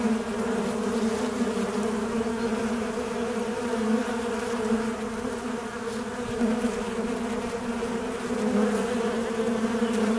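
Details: Unbroken wingbeat hum of a fly, a low droning tone with a higher harmonic, fairly even, with small wavers in pitch and a brief dip midway.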